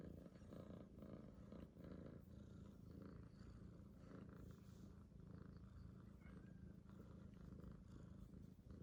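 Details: A rescued kitten purrs in a low, rough, continuous rumble, steady in level, with light scratchy rustling noises on top.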